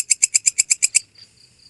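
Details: Walang kecek grasshopper with eight crisp, high ticking pulses at a brisk steady pace, then a short faint trailing sound.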